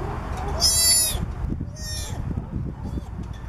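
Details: Southern sea otter pup about three weeks old calling for its mother from a boat in Monterey, California: one loud high-pitched harmonic squeal, then a softer second cry, with low rumbling and knocking underneath.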